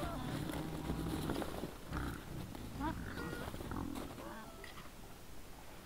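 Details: Group of wild boars recorded by a trail camera at 20:17 on 17 December 2022; dense low grunting mixed with short, sharp squeaks and brief whines scattered throughout, no other clear sounds.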